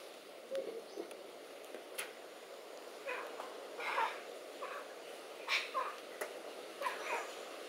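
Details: Celebes crested macaque giving aggressive rattle vocalizations with a half-open mouth threat and lunges: short, harsh, noisy bursts scattered over several seconds, some rising in clusters, against a steady background hiss.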